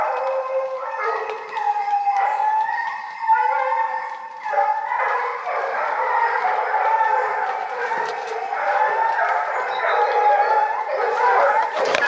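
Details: Hunting dog Perle joins the pack baying at a wild boar during a drive hunt in the Cévennes; overlapping drawn-out howling bays from several dogs, sustained and layered throughout, with short yelps mixed in.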